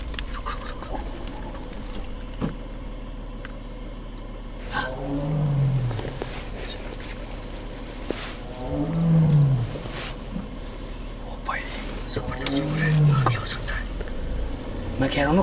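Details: At night in dense, dark sal mixed forest, a tiger (Panthera tigris) roars far off, deep moaning calls repeated every few seconds over faint insects; the observer supposes it is calling a female.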